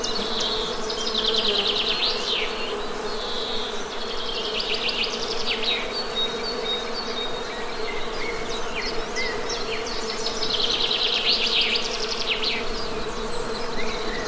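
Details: A continuous honey bee drone holds a low, constant pitch. Birds add bright chirps and rapid trills over the hum.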